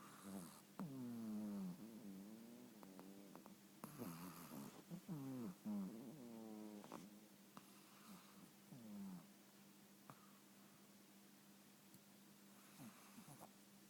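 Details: Pokke, a family's pet Shih Tzu, snores while asleep at home: wheezy, harmonic snorts with wavering pitch come in bursts through the first nine seconds, then give way to a steady low hum with faint clicks.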